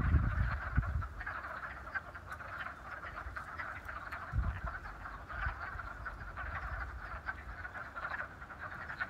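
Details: A chorus of wood frogs in a vernal pond at Raccoon Wildflower Reserve, Beaver County, Pennsylvania, on 28 February 2018 gives short, duck-like quacking clucks, overlapping rapidly.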